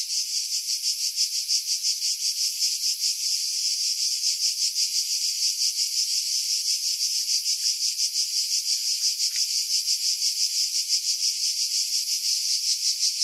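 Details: July chorus of cicadas among pines above Pefkos Bay, Skiros Island, Greece: an unbroken, high-pitched rasping drone with fine rapid pulsing, roughly three beats a second, filtered of wind buffeting.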